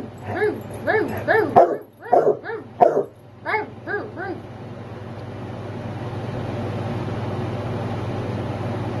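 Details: Basset hound at home barking when it is time for the nightly walk; a quick run of about eight harmonic barks, then they stop and a steady rising background hum fills the rest.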